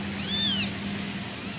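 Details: A single kitten calls for its mother with one arching meow, rising then falling, against a steady low hum.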